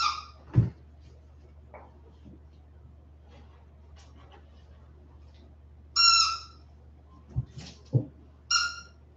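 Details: Indoor whimpering from 47-day-old Westie puppies back inside after an outdoor break: brief, piercing, tonal squeals spaced several seconds apart, separated by soft rustles and small bumps in a quiet room.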